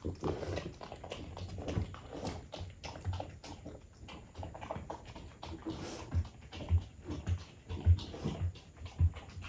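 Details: French bulldog eating baked sweet potato, low snorting grunts pulsing roughly once a second, louder and more regular in the second half, with soft rustling and chewing noises throughout.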